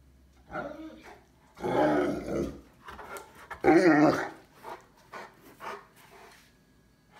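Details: A Cane Corso dog indoors, looking for its chewed-up toy, gives low growling, grumbling vocalizations in two main bursts around the middle, with a woman talking to it nearby in a small room.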